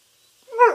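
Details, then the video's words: Dog that seems to say "Buffalo": a single short, rising-then-falling vocal sound with a clear harmonic stack, starting after a near-silent pause and lasting under half a second. "Dog says "Buffalo""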